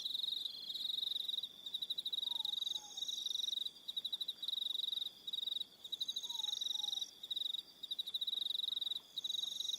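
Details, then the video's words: On Aroha Island in New Zealand, crickets call at evening in a continuous high pulsed trill, punctuated by short gaps, with additional higher chirping voices above. A soft two-note dropping call appears faintly twice. "1 Hour Relaxing Evening Sound of Crickets"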